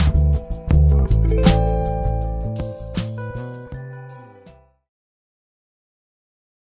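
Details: Instrumental music with guitar-like plucked notes plays for about five seconds, fades out, and gives way to silence, with no animal sounds.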